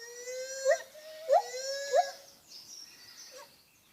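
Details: Soft lar gibbon hoots: a steady tonal note broken by three brief upward-swooping accents about every two-thirds of a second, then fading, over a faint background hiss.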